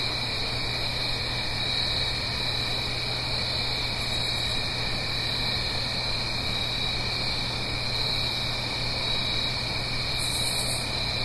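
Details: Crickets singing on an autumn night in the Blue Ridge Mountains, uphill from a gentle stream: a steady, dense high trilling chorus in two continuous bands, with short buzzy high bursts near four and ten seconds over a soft, constant rushing hiss.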